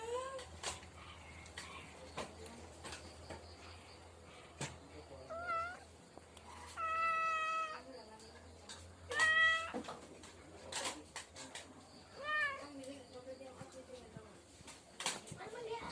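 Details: Cat meowing indoors: several drawn-out, wavering meows, some rising then falling, spaced a few seconds apart, with soft background rustling and a faint low hum.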